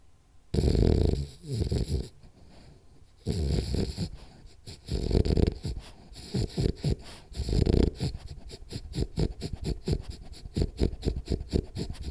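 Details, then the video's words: Rolly the French Bulldog asleep, with a bad dream starting: snores break into rapid, choppy snorting breaths that quicken toward the end into a fast irregular series of short huffs. "French Bulldog Snores Hard For 10 Minutes [Then Has Bad Dream]"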